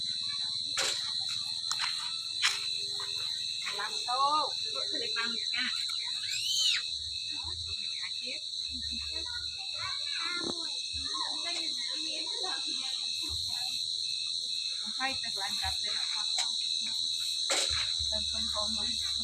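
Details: Crickets at night, heard while people catch them: a steady, unbroken high trill runs through the whole stretch, under Vietnamese speech and handling noises.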